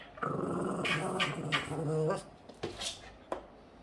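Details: Boston Terrier growling while playing indoors: a rough, buzzy, drawn-out growl lasting about two seconds with a few short rising bursts, then sharp clicks and knocks, with a woman speaking Hungarian nearby.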